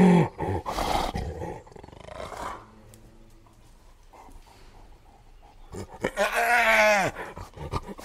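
A spotted hyena gives rough, rapid bursts, then a drawn-out, arched cry rich in overtones.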